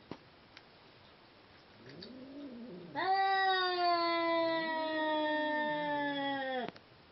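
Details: Seal point Siamese cats during mating: soft wavering low moans build up, then a loud, steady, tonal yowl that holds one pitch for nearly four seconds before breaking off abruptly.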